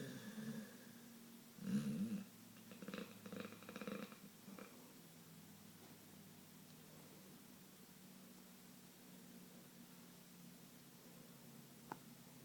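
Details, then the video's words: Sleeping pit bull snoring heavily indoors: rough, low snorting breaths pulse through the first five seconds, then settle into a quieter, steady droning hum with a faint click near the end. "the snoring pitbull"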